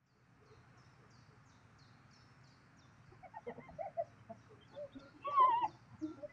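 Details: Spotted hyena clashing with lions over food in South Luangwa National Park, Zambia: a quiet start gives way to scattered chattering notes, then a clear rising-and-falling whooping cry near the end.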